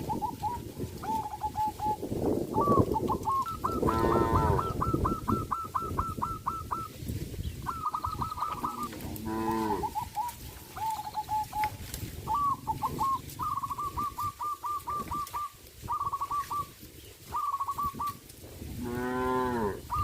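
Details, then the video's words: A group of tame cows on a traditional village farm, eating bamboo in the forest; a few deep, drawn-out moos rise and fall among a steady run of high, rapidly repeated chirping calls and chewing, rustling noise. "sound of cows"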